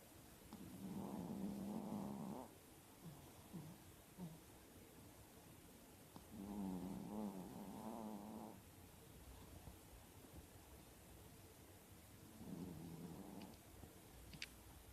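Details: Sleeping four-year-old female Chihuahua, eyes half open, snoring in long, fluttering, nasal rattles lasting about two seconds each, spaced by quiet breathing pauses, with a faint steady background hiss.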